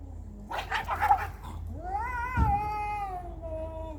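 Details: Cats in a fight: a harsh, noisy burst of squalling gives way to a long, rising then slowly falling yowl with a drawn-out wavering tail.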